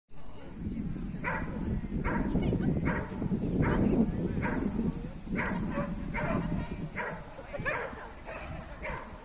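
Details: Lagotto Romagnolo dog during a clean first-place agility A2 trial run at Turawia, giving short repeated barks in quick bursts over a murmuring crowd and arena noise.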